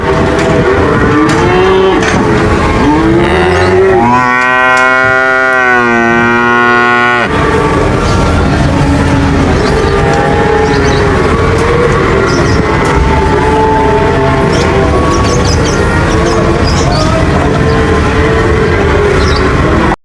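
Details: Cattle lowing: a string of moos, with the clearest a sustained steady bellow of about three seconds near the start. Shorter, wavering moos follow, partly buried under heavy rumbling noise.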